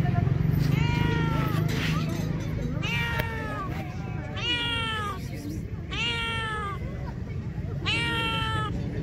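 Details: Homeless street cats, hungry and searching for food, give five plaintive, arching meows spaced roughly every one to two seconds, rising then falling, against a constant low hum of traffic-like background noise.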